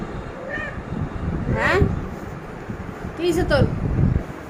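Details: A cat trying to get into a room with the door shut meows repeatedly, three plaintive calls spread over a few seconds, while a person talks over it.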